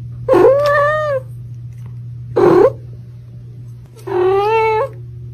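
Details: Cat from a compilation of funny pet cats giving three meows: a long wavering one, a short clipped one, then a longer falling meow, over a steady low electrical-sounding hum.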